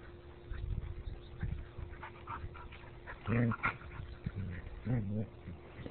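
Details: Two dogs fighting, giving harsh, low, rumbling growl-snarls in two strong bursts late on, over a steady lower grumbling, while a person speaks in the background.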